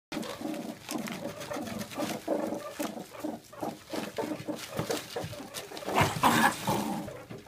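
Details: Adult male meerkat, one of a captive mob of ten, guarding his mealworms with food aggression during a daily feed; dense rapid pulsed growling and chattering bursts, several per second, with loud spikes near the end.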